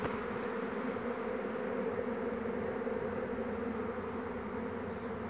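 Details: Honey bee swarm on a branch on 2 June 2019, with a second swarm on the same branch, while the queen is being caught. A dense, steady, droning hum of many bees holds at an even level throughout.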